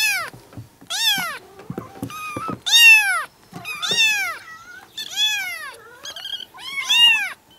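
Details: Seven young kittens, four and five weeks old, from two sibling mother cats living in a yard, meowing together in June: high, arching meows overlap and follow each other rapidly, several per second at times, with faint clicks between.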